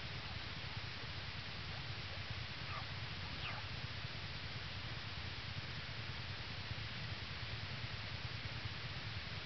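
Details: Early morning, Jan 22 2011, North American Bear Center in Ely, Minnesota: yearling black bear Hope purrs atop mother Lily, who shields two newborn cubs in the den. A continuous low pulsing rumble runs under broadband hiss.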